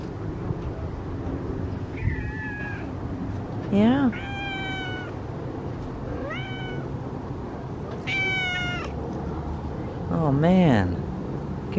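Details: Cat in a yard while Christmas lights are hung outside, meowing repeatedly: five rising-falling harmonic meows, some sliding up sharply, spaced about two seconds apart, with a man talking back to it and low background hum.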